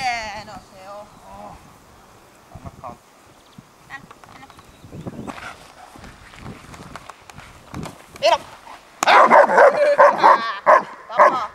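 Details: German Shepherd in sleeve-bite training, biting the sleeve for the first time; quiet talk and rustling at first, then a burst of loud, rapid, harsh barks fills the last few seconds.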